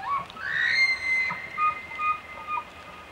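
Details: A bull elk bugles during the fall rut at Cataloochee, Great Smoky Mountains National Park: a rising whistle that climbs and holds a high, pure tone.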